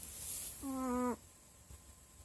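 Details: Sleeping dog giving a single whistled, nasal snore lasting about half a second, a steady buzzy tone with rich overtones that cuts off abruptly, then quiet room hiss.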